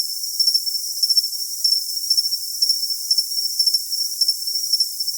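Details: High, thin cricket chirps: clusters of brief pulses roughly every half second riding on an unbroken shrill tone, with no low-pitched sound at all.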